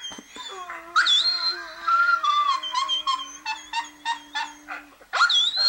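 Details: Howling dog with drawn-out tonal notes, rich in overtones and gently wavering in pitch, broken into pulsing segments, then a fresh rising howl near the end.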